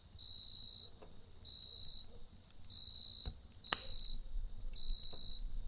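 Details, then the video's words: Cricket at night, trilling in regular high bursts separated by short gaps, beside a campfire whose low rumble and one loud crackle stand out. "Kamp Ateşi ve Cırcır Böceği Eşliğinde Dinlendirici Gece Sesi"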